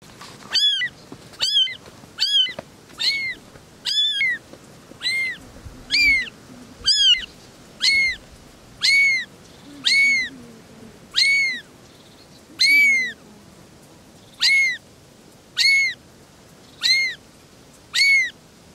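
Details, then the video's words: Three little kittens talking together, giving a long series of high, arched meows about every second, each rising then falling, some overlapping in quick pairs early on, with a quiet background. "Three little kittens are talking"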